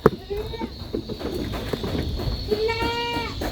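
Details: Goat kids playing in a goat pen give two high, wavering bleats, one early and one near the end, over steady background noise.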